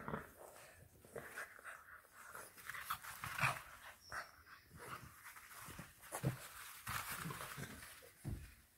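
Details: English Bulldog puppy, one of two FCI-registered bulldogs named Churchill and Mable, kept indoors in a family home in Nairobi, Kenya, panting and snuffling in rough breathy bursts while fussing over a found object; a woman talks nearby.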